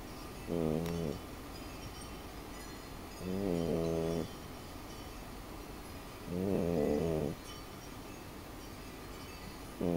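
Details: Female French Bulldog snoring while sleeping. Rough, buzzy, nasal snores of about half a second to a second come roughly every three seconds, with a quiet, steady background between them.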